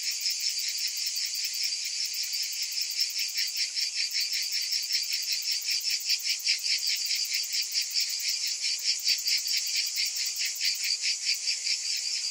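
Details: A chorus of summer cicadas keeps up a sharp, high, grating drone with quick rhythmic swells, slightly uneven in strength across the stretch and free of other noises.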